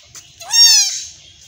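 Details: Young goat kid in a Bangladeshi village, being castrated, gives one loud strained bleat that rises, wavers and falls away over about half a second; low murmurs and handling noises sit faintly beneath.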